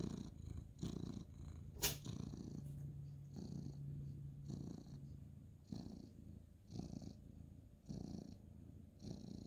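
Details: Indoor ginger tabby tomcat purring under petting at bedtime, 2/11/2023; low throbbing purr in repeated breath cycles near once per second, a sharp click early on, faint steady hum in the quiet bedroom.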